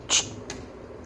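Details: A Rottweiler puppy, playfully excited, hiccups with a sharp, breathy click followed by a fainter one.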